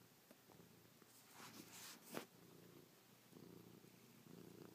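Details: Chloe, a pet cat who slept on her owner's back all night, purrs while kissing, pawing and licking her owner's face. A steady low rumbling purr runs throughout, briefly covered by soft rustling bursts near the middle.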